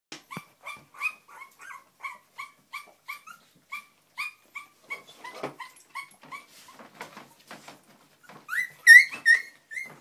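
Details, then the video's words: Young English Springer Spaniel puppies taking their first steps, giving a steady run of short, high squeaky whimpers about every half second, with a louder, sharper squeal near the end. "Springer Spaniel puppies taking their first steps"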